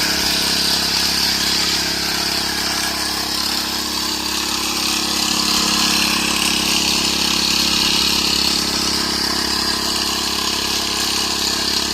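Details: A steady engine drone, like an idling motorcycle or vehicle, fills the whole stretch with no animal voices audible.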